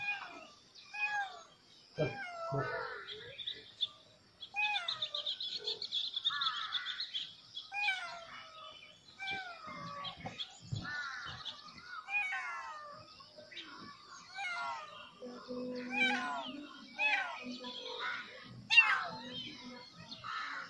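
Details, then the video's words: Several kittens crying loudly at the sight of a snake, a rapid overlapping chorus of high, thin, downward-bending meows, many voices calling at once with little pause, some lower rasping calls near the end. "kittens crying loudly to sea a snake"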